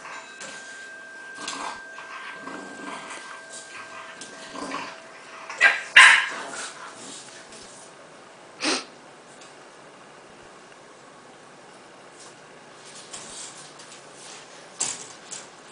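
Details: Gus, a bulldog pup, letting out a few brief yips and a sharp bark amid quieter stretches, with a steady faint tone and some background noise.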